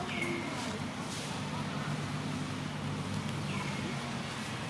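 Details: A little monkey lying on the ground crying while it waits for its mother to pick it up and comfort it: two thin, high, downward-sliding wails about three seconds apart over a steady outdoor hum and murmuring voices.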